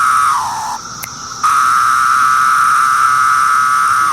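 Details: Periodical cicada of Brood X singing: a steady mid-pitched droning whine that briefly sags and stops, resumes with a click, then holds level before dropping off in pitch, over a faint high buzzing chorus.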